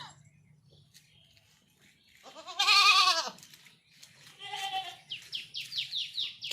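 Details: Goat on a village farm, bothered by mosquitoes and flies: one loud wavering bleat with stacked harmonics, a shorter second bleat, then a rapid run of short rising chirps, with a woman speaking Bengali between calls.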